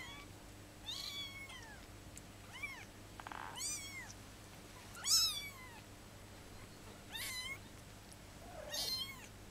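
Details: Fifteen-day-old kittens mewing: thin, high-pitched, arching cries, each rising then falling, repeated about every one to two seconds across the clip in a quiet room with a faint steady hum.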